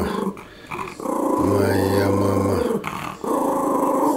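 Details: A male Yorkshire Terrier protecting his mistress growls in sustained, rumbling stretches, broken by short pauses.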